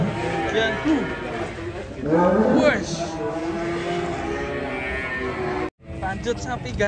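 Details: Banteng cattle lowing: one loud, drawn-out moo rising sharply in pitch stands out midway among lower, steadier moos, with people talking and laughing nearby and a brief cut near the end.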